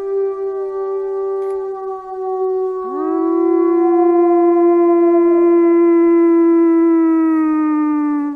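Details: Gray wolf (Canis lupus), howl.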